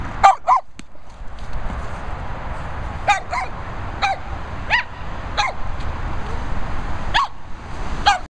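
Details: Two Boston Terriers yipping in short, sharp bursts, several quick pairs of high yelps repeating every second or so against a low background rumble.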